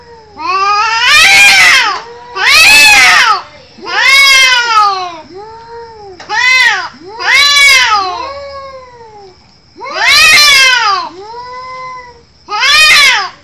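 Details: Cat fight at full pitch: a series of loud hissing screams and piercing yowls, each about a second long, separated by short quiet gaps and lower moaning wails.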